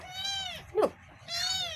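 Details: Two kittens meowing indoors: a long high mew with a falling harmonic stack, a short sharp squeak in the middle, then a second drawn-out mew; Vietnamese speech around.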